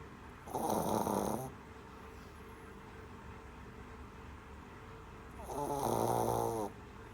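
A Shih Tzu puppy snores in two long, rattling breaths separated by a few seconds of quiet.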